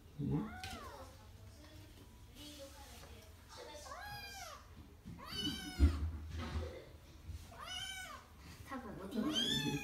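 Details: Kitten named Oiro indoors, practicing climbing down stairs; a series of rising-then-falling meows, about five over ten seconds, with a person's voice talking between them.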